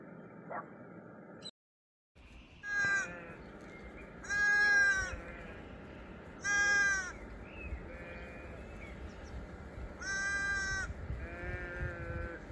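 A sheep bleats several times, harsh wavering cries spaced a few seconds apart.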